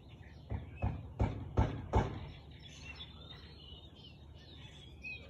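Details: Four quick, low barks from a Husky, filmed on 13 March 2021 at 4:17 pm, then the barking stops and thin outdoor birdsong and chirps carry on over a faint background hum.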